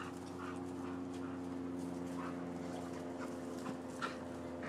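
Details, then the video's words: Neighbours' dogs in Florida, recorded 7 December 2015, barking at a distance: faint, short, rough barks repeated irregularly about every half second over a steady mechanical hum. "Barking Dogs"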